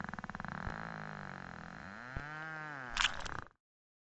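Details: An endangered Cook Inlet beluga whale in Alaska feeds, its loud, rapid echolocation buzz closing in on a fish and ending in a sharp chomp as it eats it.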